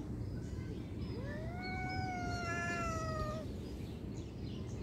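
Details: A single long drawn-out cat meow lasting about two seconds, rising at the onset and then holding a steady, slightly falling tone with rich harmonics, over a constant low hum.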